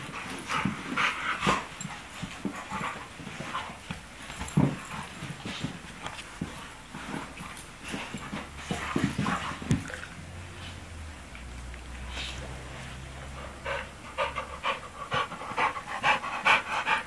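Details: Two dogs in an indoor wrestling match, playing happily: rapid scuffles, panting and short growly yips repeat throughout, with a low droning hum in the background partway through.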